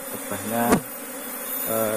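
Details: Asian honey bees (Apis cerana) in a beekeeping colony newly moved from a distant area, giving a steady low droning hum with a brief sharper click partway through.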